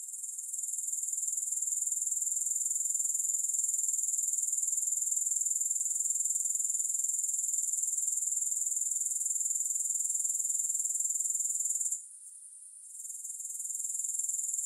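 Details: Soothing grasshopper chorus with no music: a continuous piercing high-pitched buzzing trill of fast, even pulses that cuts out for about a second near the end, then swells back to full strength.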